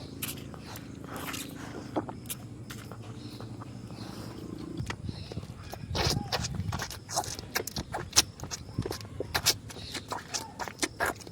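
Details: A calf drinks milk from its mother cow, with irregular wet sucking and slurping clicks over a low hum.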